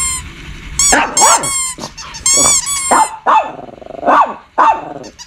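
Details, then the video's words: Shih Tzu barking in short bursts, several sharp high barks with yelping, roughly evenly spaced across five seconds, from a compilation of barking and growling dogs. "Shih Tzu Barking And Growling"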